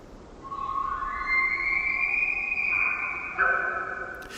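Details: A distant bull elk, beyond the conifers in a Sitka spruce valley on Washington's Olympic Peninsula with a river in the distance, gives a rutting bugle: a long, high, whistling cry that climbs in pitch, then breaks off; bulls bugle to intimidate rivals and attract cows.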